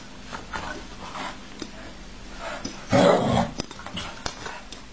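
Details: An angry dog grumbles at a cat lying in its bed, with quiet low mutterings and a short, harsh growl burst midway, then faint clicks in a small indoor room.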